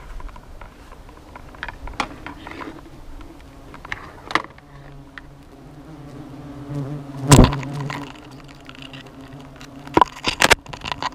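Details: Hornets at their nest at nightfall hum in a low, even drone, punctuated by sharp clicks and a loud crackling knock partway through.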